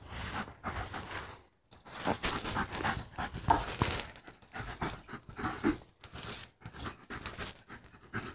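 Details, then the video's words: German Shepherd panting during play, quick breathy rasping bursts repeated about three times a second, broken by short pauses, in a small indoor room. "German Shepherd play"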